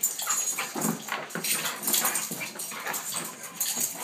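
Weimaraners give quick, high yips and short barks in an excited, uneven stream.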